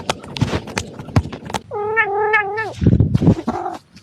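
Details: A single long, wavering meow from Mr Kitters the domestic cat, about one second long and falling at the close, framed by tapping, scraping and handling noises before and after.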